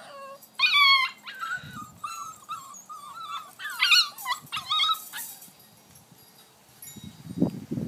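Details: A six-week-old Vizsla puppy named Rascal scrambles up an X pen, uttering a chain of high whines and yips in the first five seconds, followed by quiet and some rustling thumps.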